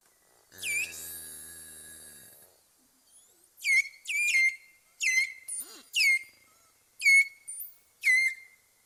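A beluga gives a run of short, high, swooping whistles, each dropping then rising, about once a second.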